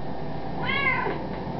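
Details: Pet cat indoors, singing along to a Happy Birthday recording: one drawn-out harmonic meow that rises then falls, over a steady background of the song's music and a person singing.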